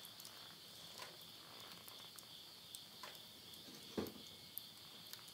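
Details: Insects at midnight at the end of summer, September 2020, around a countryside house in Yurihama, Tottori, Japan: a steady high chirring drone runs throughout, while burning wood in a stove crackles and pops sharply in the foreground.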